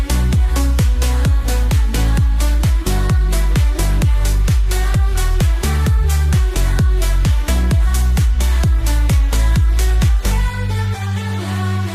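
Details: Loud electronic dance music with a fast, driving beat fills the whole stretch, and no animal voice can be made out.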